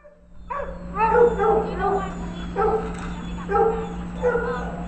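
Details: Precious, a Labrador Retriever up for adoption, recorded 2/23/2011: a run of short, tonal yelping barks in separate bursts, some rising then falling, over a steady low electrical hum.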